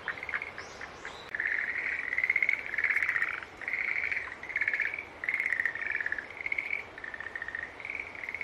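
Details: Several green tree frogs trading short buzzy, trilled calls in quick succession, roughly eighty notes a minute, some notes overlapping, over a quiet hissing night background.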